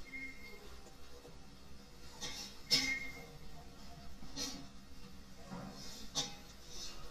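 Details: Soft music and faint speech fill a small indoor room, broken by a few sharp clinks and taps, with no animal voice standing out.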